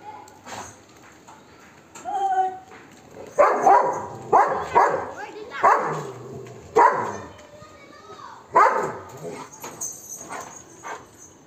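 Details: Golden Retriever barking aggressively at monkeys to chase them away: a quiet opening with a faint whistled tone, then a run of six loud rough barks spaced roughly one to two seconds apart.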